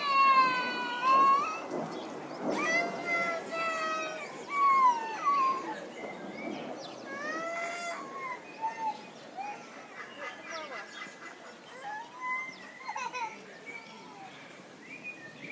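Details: A lar (white-handed) gibbon, while swinging, gives a series of clear, hooting notes that swoop up and down in pitch.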